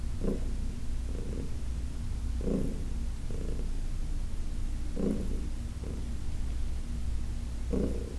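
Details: Senior cat Heidi, adopted from the Humane Society of New York City, purring while being massaged on August 4, 2021; an unbroken low drone swelling in rhythmic bursts every one to two seconds.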